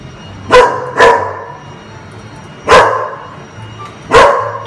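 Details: Dog barking on a farm: four loud, sharp barks, two close together near the start and two more spaced apart, over a low steady hum.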